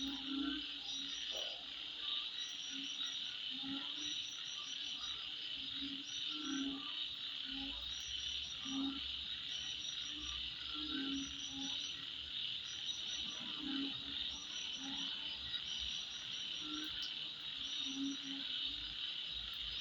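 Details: A steady, shrill insect chorus drones at midnight, with frogs croaking in low, repeated bursts.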